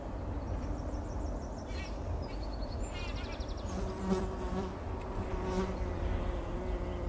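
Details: Several bumblebees working poppy flowers before sunrise in 2019, wallowing in pollen while buzzing: a deep droning hum with clear overtones rises and falls in short surges, while birds chirp and trill faintly overhead.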